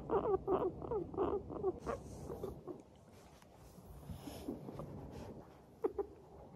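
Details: Happy pet guinea pigs of Teddy and Abyssinian breeds walking along, opening with a rapid string of short pulsing 'pu-pu-pu' notes, then mostly soft rustling with a single short note near the end.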